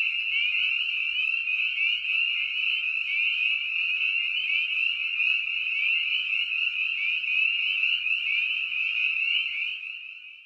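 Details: A dense chorus of spring peepers (Pseudacris crucifer): countless high, clear peeps overlap into a steady jingling wall of sound, like ringing sleigh bells.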